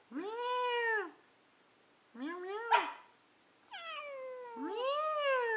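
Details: Indoor house cat trading meows with a person in conversation: arched tonal meows, one rising then falling, one cut short with a breathy burst, and a final long descending-then-rising meow.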